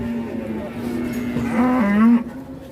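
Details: Agitated, very large cow being unloaded from a truck at an Indonesian cattle farm. One sustained, steady low moo that rises slightly and swells louder before cutting off, with faint voices behind.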